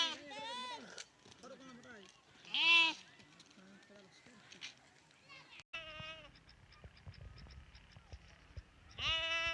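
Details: Lambs bleating in loud, wavering, nasal cries, several in a row with short pauses between.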